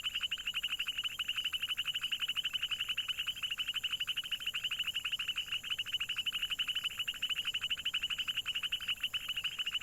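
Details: Frogs calling in a dense, steady chorus of rapid, high-pitched pulsed croaks that run on without pause for the whole stretch, with a faint hiss in the background.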